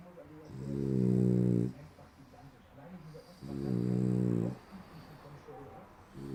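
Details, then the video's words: Sleeping French Bulldog snoring loudly like a human: two long, low, rasping harmonic snores, each about a second long and roughly three seconds apart, with softer breathing between. "Französische Bulldogge schnarcht wie ein Mensch"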